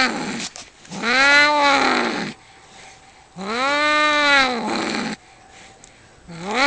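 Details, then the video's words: Two tomcats facing off over territory outdoors near a home, giving slow, wavering caterwauls that swell and fade, each lasting over a second, with quiet pauses between them. "Two cats fighting and making wierd noises"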